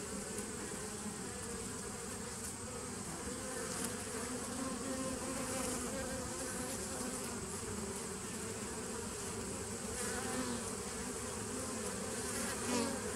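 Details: Bees recorded on 27 September 2018, a dense, steady hum of many insects droning together without pause, broad and even in loudness, with faint brief flickers of higher buzzing over the continuous wall of sound.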